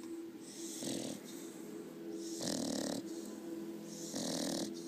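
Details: Asleep after a long run, a seven-month-old female Staffordshire Bull Terrier cross snores loudly; three long, harsh, breathy snores about every two seconds, with a steady low hum underneath.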